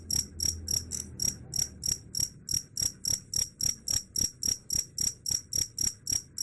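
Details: Cricket chirping in a steady, rapid series, about three to four high, shrill pulses each second for the whole stretch, with a faint low hum underneath.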